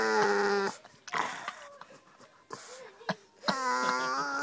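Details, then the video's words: Pet dog Maja, wanting attention at the dinner table, 9 July 2011: two short, tonal, howl-like moans open and close the moment, separated by indoor clatter and soft Swedish speech. "Dog Maja talking"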